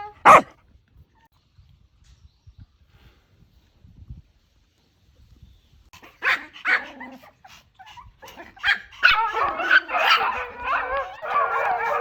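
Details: Village puppy: one sharp loud bark, then quiet, later a run of whiny, yelping barks and whimpers growing denser toward the end.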